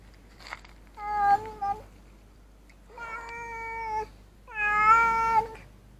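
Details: Group of street cats eating together, a Siamese arriving among them; three clear, sustained meows about a second long each, the last loudest and slightly wavering, with faint shuffling between calls.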